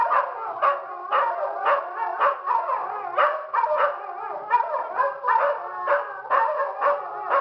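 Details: Several dogs of a household pack at Toca do Bilbo, gathering together to howl and assert each one's place in the pack; overlapping wavering howls and yelping bursts, pulsing roughly twice a second, with no other sounds.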